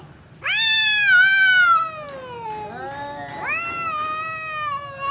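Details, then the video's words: A cat in a fight lets out a loud yowl that starts high and sags lower, then a second rising, wavering wail, both harsh and strained, back to back. "cat funny fights sound"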